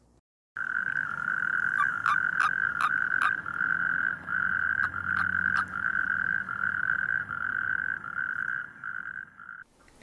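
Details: A natterjack toad gives a loud, steady rattling trill, the release call of a male mistakenly clasped by another male during mating; natterjacks call loudly in May and June, audible up to a kilometre away.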